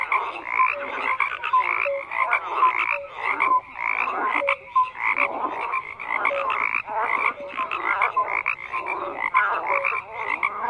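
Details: Loud continuous frog chorus, rasping croaks rising and falling in waves, dotted with short tonal blips and quick clicking notes throughout.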